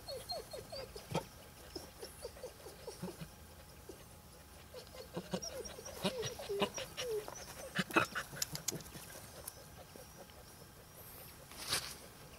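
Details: Bernese Mountain Dog puppy Dio, ten weeks old, summer 2013: a long series of short, high whines and squeaky yelps, rapid at first, then pausing and returning in clusters, over background clatter and knocks.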